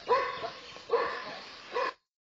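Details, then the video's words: Small dogs barking at a running elephant: three sharp, harmonic barks roughly a second apart, each with a short ringing tail, then the sound cuts to silence. "Have ever seen a Elephant running by a Small Dogs Barking"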